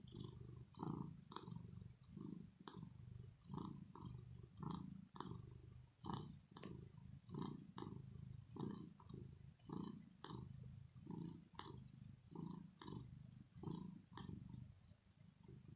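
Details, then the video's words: Rosetta, a domestic cat, gives a deep purr from her throat after playing: rhythmic low rumbling beats repeating about twice per second, steady and unbroken across the whole stretch, nothing else audible. "Cat Purring Sound"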